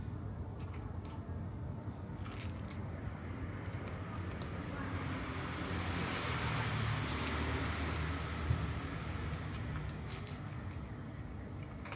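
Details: Low road traffic rumble swelling and fading as a vehicle passes, with faint outdoor background noise and no animal call.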